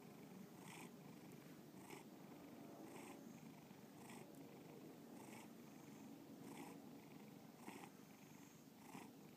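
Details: Close, steady purring from a domestic cat indoors, a low continuous rumble broken by rhythmic breath pulses roughly every second, quiet room with nothing else heard.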